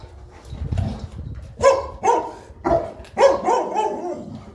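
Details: Boerboel, a South African Mastiff, one of a pair living in Egypt, at morning feeding time; four deep, hoarse barks in quick succession after a quiet rumbling start, with a voice speaking Arabic just before.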